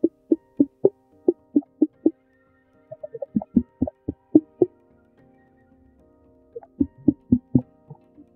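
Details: In Mexico, a gray whale mother and calf communicate with low, knocking clicks in quick rhythmic bursts; different click frequencies and intervals carry different meanings.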